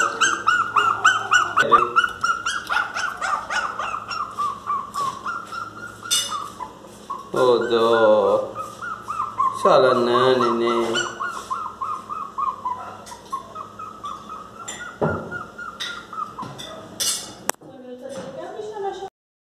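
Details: Miniature Pinscher dog crying loudly because it wants to come into the house: high, sustained whining that wavers in pitch, almost unbroken, broken by short yelps; a person's voice talks briefly in the middle and near the end.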